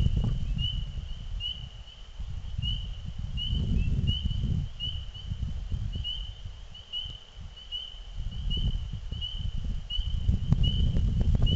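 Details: Frogs calling in spring just before nightfall: a steady series of short, high, clear peeps, roughly two each second, over a continuous low rumble of wind or distant noise.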